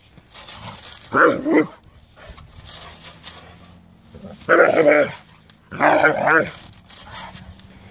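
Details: Doberman barking, upset by a rake: three rough, throaty barks spread over eight seconds, each falling away quickly, with a faint background hum between them.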